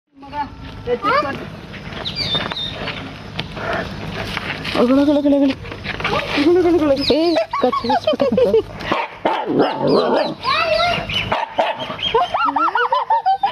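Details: A Siberian husky puppy, described as fighting with a cow, yowls and grumbles in rising and falling, almost talking howls, with voices in the background.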